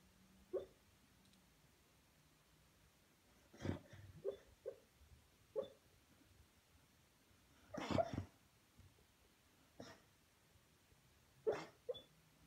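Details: Junior, a pet Beagle, dreaming and barking in his sleep: soft, muffled single woofs and huffs spaced irregularly a second or several apart, about seven bursts, over a quiet room background.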